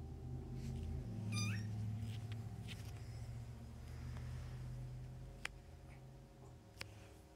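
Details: Nursing foster kittens with momcat Mummy, Humane Society of North Texas litter born around early October; loud, steady rumbling purr fills the recording, broken by one short high mew early on and a couple of sharp clicks.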